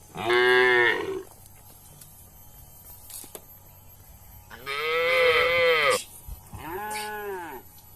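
A cow gives three loud, drawn-out moos, each rich and nasal with a slight rise and fall.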